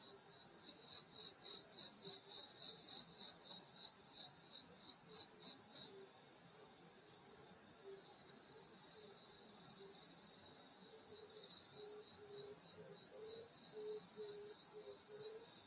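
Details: Countryside insects singing on a summer night near a grandmother's house: constant shrill high trills, a rapid pulsed chirping early on, and low short chirps recurring in the second half.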